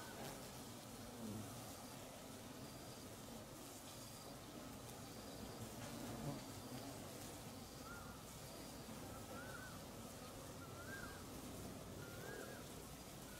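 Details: Giant Asiatic Honey Bees swarm in Perak, Malaysia, at dusk to found a new nest near an abandoned old one: an even, massed low buzz, with faint high tones and a few rising chirps from another animal later on.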